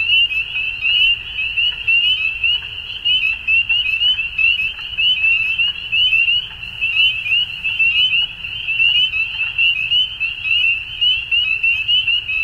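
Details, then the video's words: Dusk frog chorus, an unbroken high-pitched trilling from numerous frogs, loudness wavering in irregular pulses, with a quiet low rumble beneath. "Frogs At Dusk"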